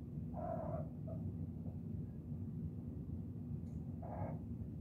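Kittens make brief chirping mews, a pair near the start and another near the end. A continuous low rumble, possibly purring, runs underneath throughout.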